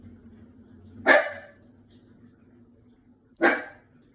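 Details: Frightened five-month-old Shiba Inu puppy barking at a washing machine: two loud, abrupt barks roughly two seconds apart, with a faint low mechanical rumble underneath in a small room.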